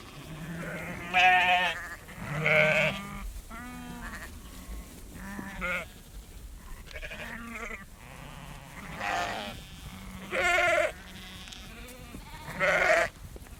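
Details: A herd of sheep walks around close by, bleating in wavering nasal baas every second or two from different animals, as a farmer shakes food.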